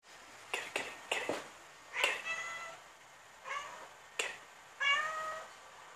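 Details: Tabby cat on the hunt making weird, funny noises: quick clicking chirps followed by short harmonic chattering mews, in bursts roughly every second, quiet indoor background.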